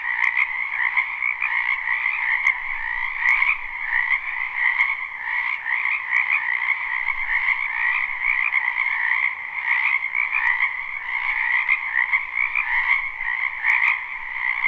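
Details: Continuous croaking of many frogs in a spring wetland, live recording: a thick, even trilling wall of sound holding steady throughout, with faint clicks scattered across it.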